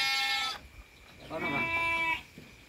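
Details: Sheep with a lamb born at midnight: a bleat cut off early, then a second wavering bleat after a quiet gap, with low background noise.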